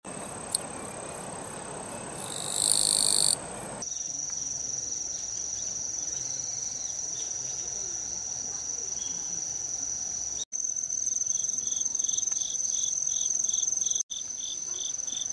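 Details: Autumn insects in the countryside on 17 September 2018 sing a chorus of steady, very high-pitched trills, later joined by lower pulsed chirping; cicadas still sang near tall trees.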